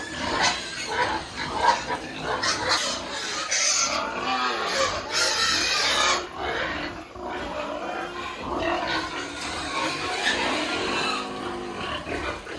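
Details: Piglets being weaned from the sow on an integrated family farm in Penablanca, Cagayan Province, Philippines; busy overlapping grunts and squeals through a noisy pen, with hiss and clatter throughout.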